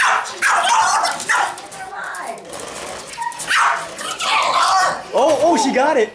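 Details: A French Bulldog gives short, rough barks ending in a wavering, whiny yelp at a remote-control Mustang toy car, while a person talks.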